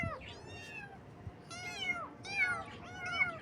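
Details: Baby kittens meowing on their first morning: high, thin, arched meows, three or four in quick succession, some overlapping, with faint clicks and knocks in the background.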